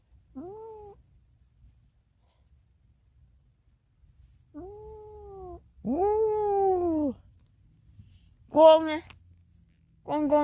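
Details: Meowing from a domestic cat that wants to escape. Five short, separate meows are spaced irregularly over ten seconds. Each one arches up and then falls, and the later calls are louder and sharper, against a quiet room.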